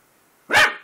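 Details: A single sharp, high puppy bark, loud and short, as he sees himself in the mirror for the first time indoors.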